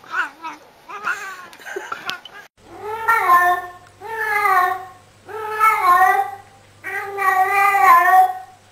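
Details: Talking cat from a humorous pet compilation: a few soft chirps, then four long meows, each about a second, arching up and down with steady gaps between them.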